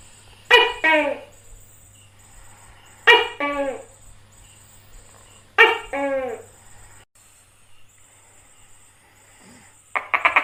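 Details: Tokay gecko in India, calling three times at roughly 2.5-second intervals: each call is a loud, harsh, harmonic two-part croak whose second syllable falls in pitch. A faint steady hum and a thin high tone run underneath, with a short burst at the end.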